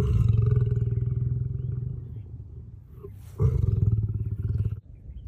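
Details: Lion roaring: deep, pulsing low-pitched roar that slowly fades over about three seconds, then a brief pause and a second loud, throbbing burst that cuts off sharply, with faint background noise.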